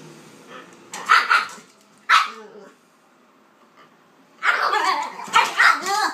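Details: Kaiser and Viki, a pitbull and a King Charles spaniel, playing; two separate loud barks, a pause, then a quick volley of barks with growly edges.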